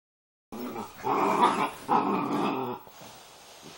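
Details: Two Doberman pinschers playing together: a rough, noisy growling grumble rises in two surges over about two seconds, then fades to a quiet room background.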